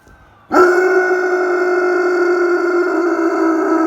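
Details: German Shepherd kept as a pet, howling: after a brief quiet moment a loud sustained howl starts abruptly and holds an even, slightly wavering pitch for over three seconds.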